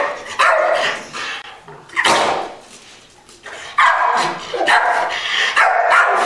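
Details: Patch the Pit Bull, reactive toward other dogs, gives loud, separate barks in irregular clusters, with short quieter gaps between volleys.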